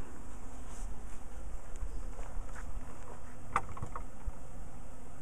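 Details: Carniolan honey bees flying around a backyard hive in its second season, one year after installation; a dense, low droning hum holds steady throughout, broken by a few soft knocks.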